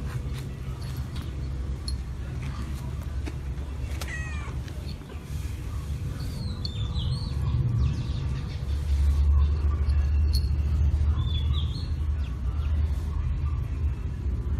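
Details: A playful female cat, someone's pet visiting a home in March 2016, gives a short rising meow partway through, set against a loud, steady low rumble of traffic with faint high chirps of birds.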